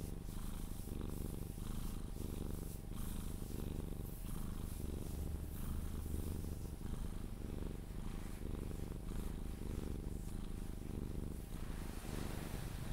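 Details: Sphynx cat being cuddled and purring until asleep, indoors; strong low continuous purr pulsing with each breath about every second, accompanied by faint rustling and light kissing sounds.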